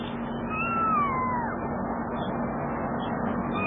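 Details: During a mother cat's rescue of her kitten, a single clear meow rises slightly and then slides down over about a second, over a steady low hum and background noise.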